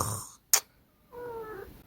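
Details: Short-legged Munchkin cat uttering a soft, level meow that sags slightly at its close, following a sharp click and a stretch of near silence; faint background hum.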